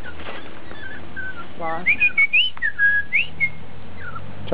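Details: Miniature Dachshund puppies, piebald with ticking, born July 18th, 2012 and filmed August 26th, 2012, giving thin, squeaky whimpers that slide up and down, several short ones in a row, over a low hum with faint music.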